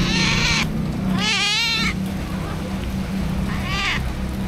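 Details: Two stray cats sheltering in a cardboard box during heavy rain, recorded on an action camera; drawn-out wavering meows, three in a row with harmonic wobble, over the constant loud hiss and patter of rain.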